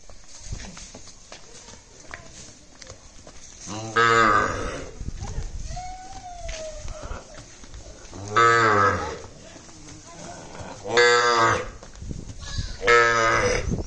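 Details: Gir cattle in Gujarat lowing: three loud, deep, harmonic-rich moos near 4, 8.5 and 11 seconds plus another at 13 seconds, each about a second long, with quieter background noise and a faint higher sound between.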